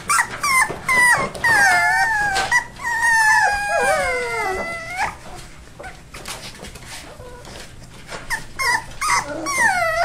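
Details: Rescue puppies aged four weeks, Labrador crossed with hound, give long wavering whines that slide downward, then quieter scattered whimpers and a final rising cry near the end.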